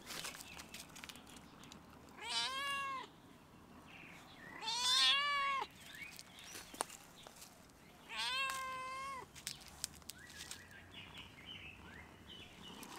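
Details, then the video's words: Stray cat perched on a fence on a coronavirus-closed campus meows toward a person, giving three long, arched meows spaced roughly three seconds apart, with faint clicks and outdoor ambience between calls. "the cat meow at me on the fence"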